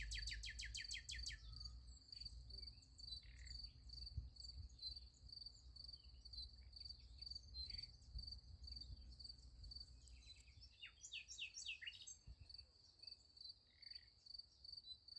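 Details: Night crickets by a sunflower field keep up a continuous high pulsed trill, opening with a loud rapid burst; scattered sharp descending bird chirps join after ten seconds over a soft low background rumble.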